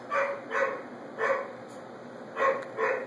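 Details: A dog barks in the afternoon, near a 15-week-old puppy who dislikes the noise. It may be the neighbor's dog or the puppy. Five short, hoarse barks come in two pairs and a single over three seconds, above a steady high-pitched electronic hum.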